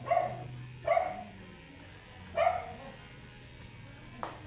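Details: Angry Shih Tzu being groomed, matted coat, letting out three loud sharp barks at irregular spacing, then a faint click, over a low steady hum.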